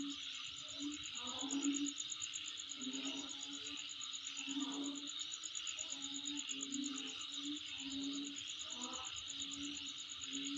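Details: Steady insect chorus at the recorder's place: shrill, even buzz and a fast metallic pulsing trill, accompanied by scattered low hoot-like tones and faint bursts of mid-range noise.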